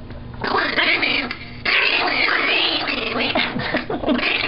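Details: Olive, a female Chihuahua, growling indoors while having her teeth brushed: a continuous buzzy, wavering snarl that rises and falls in pitch without a break, with a person's soft voice faintly behind it.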